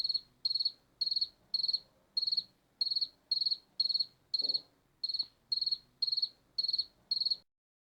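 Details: Regular high-pitched chirps of a cricket, about fifteen pulsed bursts at an even pace of roughly two per second, each a quick buzzy trill; faint low hum beneath and one soft click midway, ending in silence.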